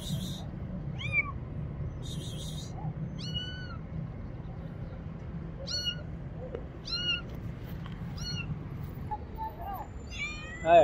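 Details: A frightened little kitten hiding behind a motorcycle calls for help with a run of short, high meows, some clipped and some drawn out, broken by two bursts of hissy noise and a steady low hum.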